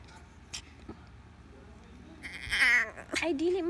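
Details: Pomeranian dog giving a high, wavering, harmonic whine in the second half, rising and bending in pitch, with a lower trailing cry at the end; faint voices and clicks in the quieter opening.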